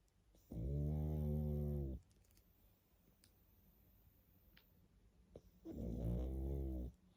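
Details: Pug asleep, giving deep rattling snores: a long steady harmonic drone of about one and a half seconds, a quiet pause of nearly four seconds with faint breaths, then a second snore starting.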